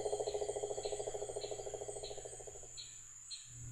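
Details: Male cane toad giving its mating call to attract females, a species that breeds all year; a fast, even trill of pulses runs for nearly three seconds and then fades, with a steady high hiss in the background.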